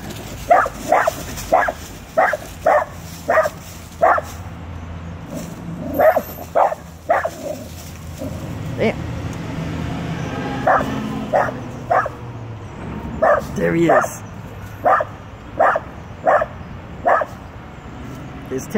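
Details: Small, fearless Dachshund barking at a full-grown Rottweiler, telling it off: runs of short, punchy barks, roughly one every half second, pausing around ten seconds, with a low engine-like rumble and brief human voices.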